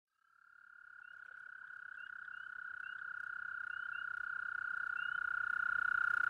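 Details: Toad at a pond near a home, giving its mating call at night during mating season, recorded up close: one long, steady, high-pitched trill held without a break and slowly growing louder, with fainter chirping trills from other toads above it.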